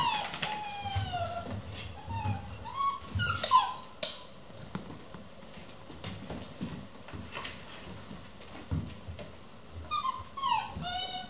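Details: Vizsla puppies, eleven in a kennel, playing at 3 am: high thin whines and yelps sliding downward, several early on and again near the end, with soft low growls and scuffling between.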